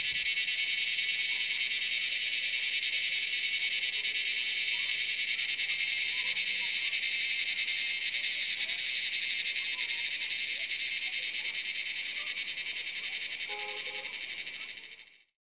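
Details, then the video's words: Cicadas in the forest at Jabbarkhet Estate at sunset, around seven in the evening: a loud, unbroken, high-pitched buzzing drone, very steady, slowly softening before it fades out, with faint low chirps underneath. "Cicada sound in forest"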